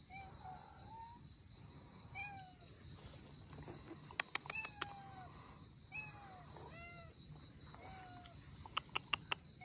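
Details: Abandoned Russian Blue mother cat and kittens during rescue: repeated high, thin meows, several callers overlapping, some falling in pitch, with sharp clicks and rustling between calls.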